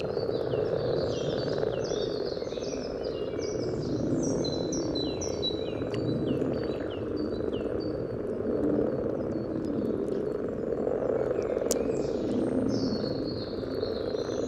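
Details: Common frogs calling in courtship at a spawning site by the yellow trail in Sunnersta, Uppsala, Sweden, recorded just above the water with a parabolic microphone: a dense, continuous low purring chorus, with many high whistled bird notes above throughout.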